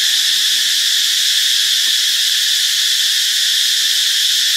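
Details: Steady, shrill cicada drone from Ubon Ratchathani, Thailand, on Friday, March 26, a continuous hissing buzz without pauses and no other clear sounds.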